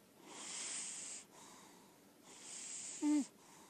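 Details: Sleeping female lilac point Siamese cat kept indoors, breathing noisily: two soft hissing breaths, the second ending in a short voiced snort.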